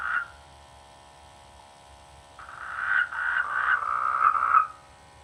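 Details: Frogs croaking in village rice fields during the rainy season: one short croak at the start, then after a pause a longer run of rapid, rough, pulsing croaks lasting about two seconds, over a quiet steady background hiss.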